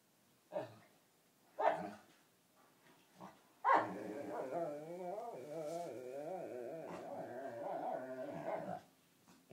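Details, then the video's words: Pet dog playing bitey-face with a companion dog and serenading it with ridiculous whale-like sounds; several sharp short barks or yips, then about five seconds of continuous wavering, growly moaning vocalization. "Nanook's ridiculous whale song"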